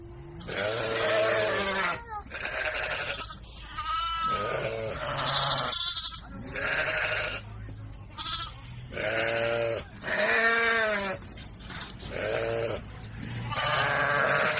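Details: Baby goats at play, bleating over and over: quavering, tremulous cries roughly every second or so, several overlapping, over a steady low background hum.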